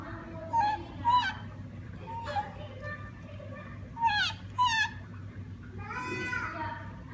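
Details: Siamang in Sumatra giving a series of short, wavering whooping calls, some sliding sharply up and down, spaced irregularly over a steady low background hum.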